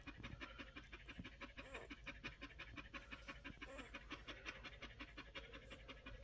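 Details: Rapid panting from one-week-old Collie puppies, very fast breathy puffs near three per second in a regular pulse, with a couple of faint squeaks mixed in.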